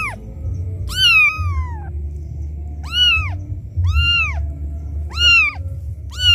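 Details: A kitten cries loudly with high, arching meows about once a second, calling for its mother after being left by her; the sound is used to lure other cats.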